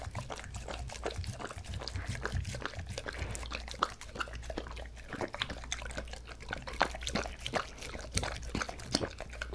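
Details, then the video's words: Dog eating a homemade healthy dish styled as bossam and kimchi, chicken breast with paprika and tomato seasoning, recorded close up for ASMR; dense wet smacking and crisp clicking chews in a fast, uneven stream. "강아지 먹방 asmr"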